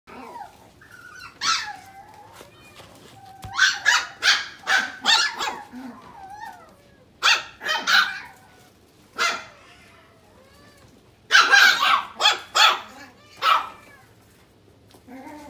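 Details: A dog barking in quick, sharp runs of three to five barks, with thin squeaky whining tones slipping in between the bursts and short pauses separating the volleys.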